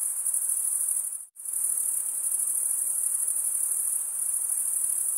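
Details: Cricket chirping made by stridulation of the wings; a high, hissing continuous trill cuts out abruptly for a fraction of a second near the start, then resumes unchanged to the end.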